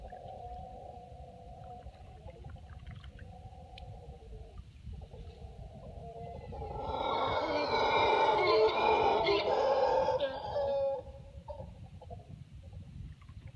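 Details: Near Tortuguero, Costa Rica, two mantled howler monkey troops howl aggressively at each other across the river, heard from a canoe; distant droning roars swell into a loud, rough, deep roaring bout lasting about four seconds, then fade back.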